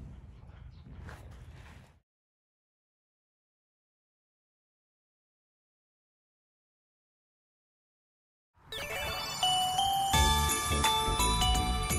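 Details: A short burst of muffled noise gives way to several seconds of silence, then loud chiming music with bell-like tones plays to the end, with no animal sound.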